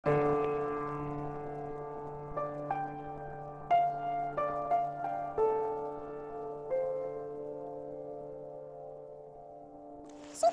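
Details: Soft instrumental music with sustained low tones and brief brighter notes, ending in a short loud burst; no animal voice is heard.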